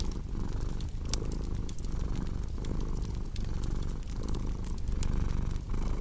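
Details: Domestic cat purring with a low, vibrating rumble that surges with each breath, under the steady crackle and occasional loud snap of a wood fire.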